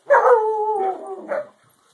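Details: Little Alaskan Malamute puppy standing up to his father gives a drawn-out, harmonic woo-like howl that holds a steady tone for about a second, dips, then ends with a short rising yelp.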